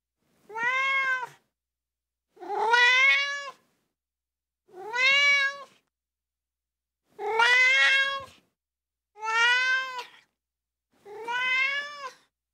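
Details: Crying ginger tabby kitten giving six loud meows, roughly one every two seconds, each a bright tonal wail with rich overtones and a slight upward sweep, no background sound or music.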